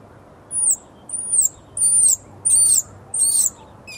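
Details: Blind baby squirrel fallen from its nest gives piercing distress squeaks, five high arched cries of roughly a third of a second each, spaced about every two-thirds of a second, over a low steady hum.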